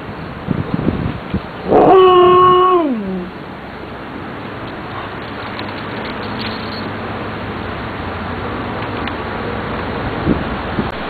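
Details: Pet dog, one of two females, a Siberian Husky and a Blue Tick beagle raised together since puppyhood, gives a single drawn-out whining howl lasting about a second that slides downward at the end, over steady background hiss.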